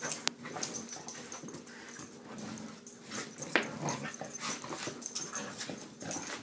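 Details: Morning routine of two Siberian Huskies, Ava and Bella: dense run of breathy whines and wheezy yelps, with a sharp louder burst a little past three and a half seconds and irregular chatter throughout.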